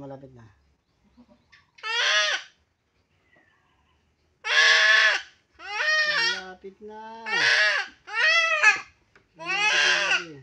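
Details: Goat being castrated cries out in a run of strained, wavering bleats, roughly every second in the second half, some ending in lower, sliding tones. The room is otherwise quiet.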